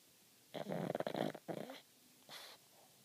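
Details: Pug named Rico sleeping with open eyes gives a rough, fluttering snort-snore lasting about a second, then a shorter rasp and a faint wheezy breath, against a quiet indoor background.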